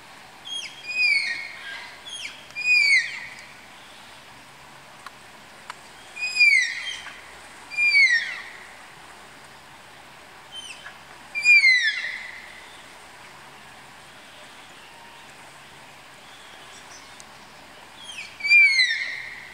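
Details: Malayan tapirs being paired in a zoo enclosure at Tama Zoological Park give shrill, falling whistled squeals in short bursts of two or three, spaced several seconds apart, with a faint constant hum behind.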